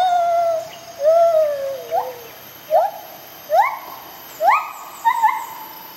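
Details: White-handed gibbon pair, a rehabilitated confiscated female and a male answering her, duetting in the jungle in the morning; clear whistled notes, first long falling hoots, then sharply rising swooping whistles repeated roughly every second, quiet background.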